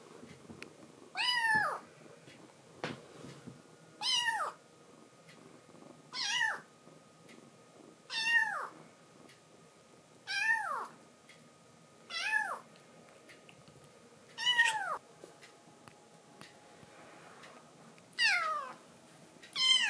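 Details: Momiji, a rescued baby kitten in foster care, warns off Kuromame as she tries to climb onto a man's lap: about nine sharp, high meows, each falling in pitch, come every two seconds or so in a quiet room.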